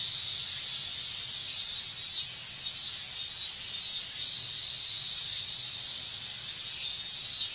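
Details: Chorus of cicadas in the summer heat of Japan, a steady shrill hiss broken by brief louder surges that repeat irregularly through the recording.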